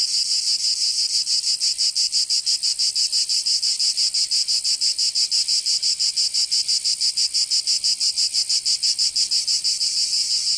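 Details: High, rasping cicada song on a summer day in Provence in the south of France, throbbing in fast, regular beats at constant loudness, with no other sounds.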